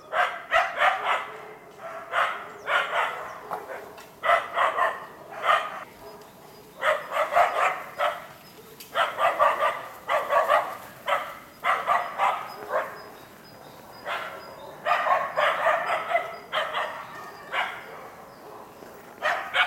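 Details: At a wild boar enclosure, two Karelo-Finnish Laikas, two-year-old Rus-Fin and eight-month-old Kaya, train for trials. Persistent bright barking comes in dense bursts of several barks with brief pauses throughout.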